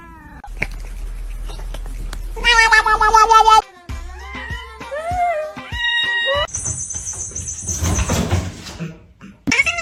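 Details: Kitten meowing in a mixed domestic scene: a loud, wavering, harmonic meow followed by shorter rising and falling cries, with background music and some human speech.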